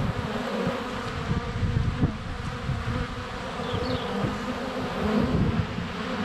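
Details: Many honey bees flying around a hive entrance on a sunny February day, recorded with a GoPro under a foot away; thick overlapping wing drone with low thumps, plus a brief faint high chirp of a bird.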